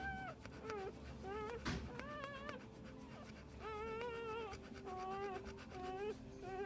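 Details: Newborn Pit Bull puppies, one day old, from a litter of ten born 7/12/2014, cry in high, wavering whimpers, short squeaky calls repeated in quick bursts, some bending upward at the end, over a faint steady background hum.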